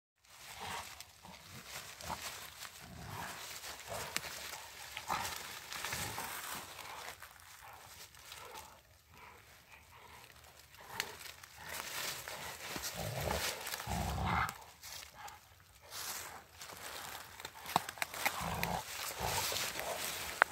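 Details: Two Rottweilers in friendly play during a walk in the woods: low, rough growls come in short bursts among rustling leaves and scuffling, with sharper broadband snorts toward the end.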